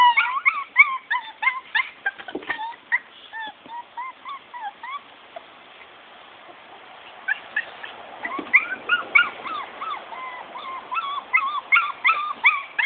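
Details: Maltese-Yorkie cross puppies of Soapy and Max squeal in quick repeated high whimpers, fade to softer scattered whines midway, then swell again into overlapping squeaky cries from several pups.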